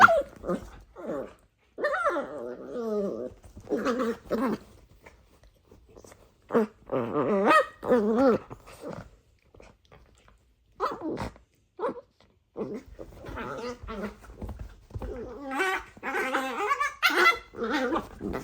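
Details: Dachshund puppies play-wrestling; a busy run of short growls, whimpers and occasional barks in uneven bursts, some harsh and noisy, with scuffling between them.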